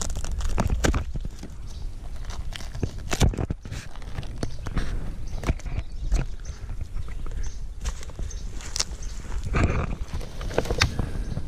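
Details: A single white beetle grub about 3 inches long chews wood under the bark of a cut log outside a cabin: irregular, sharp crunching clicks, sometimes in quick bursts, over a low rumbling background.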